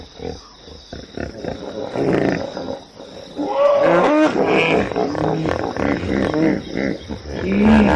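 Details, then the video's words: Hippopotamus with short grunting pulses that build into loud, wavering harmonic honks and wheezes, ending on a rising nasal note. "som de hipopótamo, Hippo Sound"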